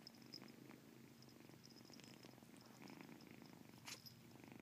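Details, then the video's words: Caspurr, a domestic cat, purrs with a chirp inside the purr; an even, pulsing low rumble holds steady throughout, with faint high tones and a short sharp noise near the end. "Caspurr chirp purr"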